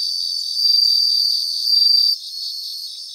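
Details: Grassland chorus of bell crickets. A high, sustained, ringing trill swells twice, then drops off abruptly after two seconds, leaving a softer background of continuous insect trilling.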